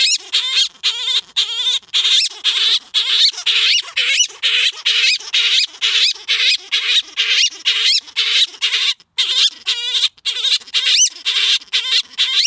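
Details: Male grey-headed flying-fox Gelert serenades Diva after rubbing his chin and chest on blankets and stuffed toys: a long, steady series of buzzy, squealing notes, roughly two each second, each rippling in pitch.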